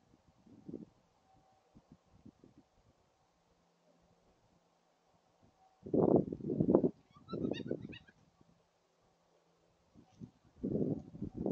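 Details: Two gray foxes calling to each other give harsh, raspy bark-like bursts in short bouts, with quiet pauses between.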